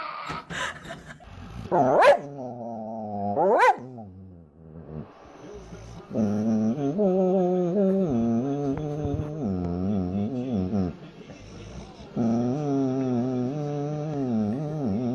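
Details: Dog making drawn-out, wavering vocal sounds that rise and fall like talking, with two sharp yelps near the start and then two long moaning howl-like phrases separated by a brief pause.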